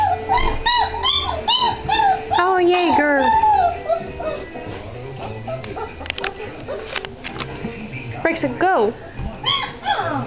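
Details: Great Dane puppies recorded on January 27, 2009, giving arched, wavering whines in quick succession, overlapping one another, with human voices and some background sound mixed in.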